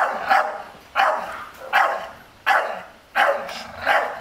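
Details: Staffordshire Bull Terrier guarding its garden as an unmasked stranger approaches, a breed that rarely barks except at danger; six loud, harsh barks spaced roughly every 0.7 seconds, each with a sharp onset and trailing decay.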